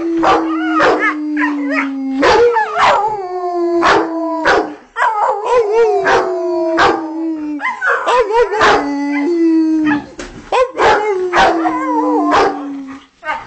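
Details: Pet Rottweilers Shelby and Kane at home. Shelby sings along to music with long, steady, slowly falling howls lasting two to three seconds each, over sharp percussive beats and music.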